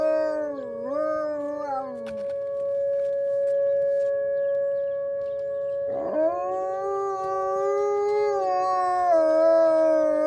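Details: Wolves howling on a snowy morning from a deck, chattier than usual. A wavering howl dips and rises for two seconds, then after a quiet gap a new howl swoops upward and holds long and steady over a second voice.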